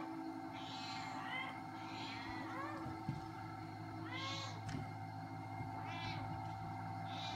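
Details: Shelter Domestic Shorthair cat up for adoption, March 2017: a series of uneven, arching meows, some short and some longer, with pauses between them and a constant low mechanical hum behind.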